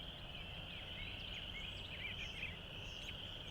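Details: On a morning in late February, frogs in flooded open fields trill together in a dense, unbroken high chorus, with scattered short bird chirps above it and a low background rumble.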